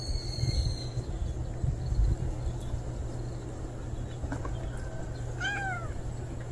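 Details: A single short meow from an unfamiliar male stray cat appears late in the clip, a falling, harmonic-rich cry over steady low rumbling background noise and a few faint clicks.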